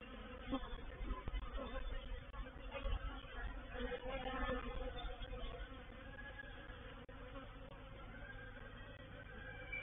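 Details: Swarming honey bees moving into a bait hive at Painted Peacock Manor, 04/07/21; a thick droning buzz that fluctuates with many quick passing surges, louder in the first half, then softening to a steadier hum.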